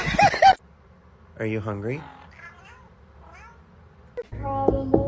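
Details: Kitten meowing indoors: a brief wavering meow that rises then falls, a softer faint call after, a short clear meow near the end, with people talking and light music in the background.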